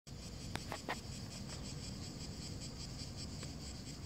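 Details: Cicadas chirring in the heat over a dry lawn: a steady, pulsing high-pitched buzz runs throughout, broken early by a few sharp tapping clicks, over low rumbling background noise.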